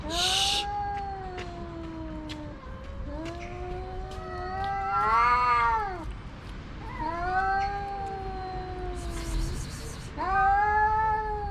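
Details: Two stray tomcats in a loud verbal duel over a female house cat; long wavering howls rising into strained arched wails, alternating with low moans, plus a couple of short noisy bursts.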